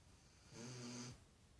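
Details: A sleeping dog snores once indoors. A single low, buzzy, rattling breath lasts about half a second between quiet pauses.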